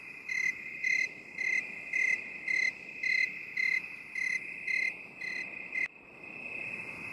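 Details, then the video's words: Binaural 8D cricket chorus: sharp high chirps repeated about twice a second for six seconds, then the chirping stops abruptly and only a steady high-pitched background trill of crickets continues. "8D CRICKET SOUND"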